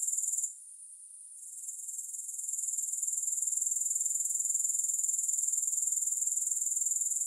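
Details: Grasshopper sound with no music: a sharp high trill that drops to a soft hiss around the first second, then gradually builds back into steady rapid pulsing, about four beats a second.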